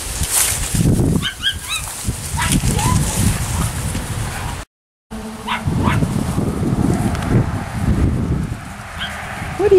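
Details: Ten-week-old Miniature Schnauzer puppies from one litter playing, one with a frisbee; short high yips and thin whimpers pop up in scattered bursts over rumbling play noise, while a person talks to them throughout, with one brief dropout.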